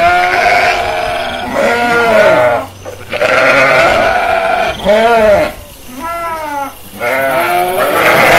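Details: Sheep in a pasture bleating in loud, wavering, nasal baas that overlap one another.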